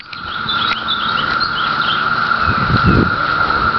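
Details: 17-year periodical cicadas emerging in trees on Cape Cod fill the air with a continuous, even drone that holds level throughout, with faint bird chirps above and a few low handling or footstep thumps near the end.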